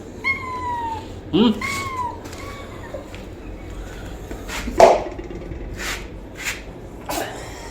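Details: Domestic cat making three short meows, each a bright tonal cry falling in pitch. They are followed by scattered clicks, taps and thumps, with a low hum underneath.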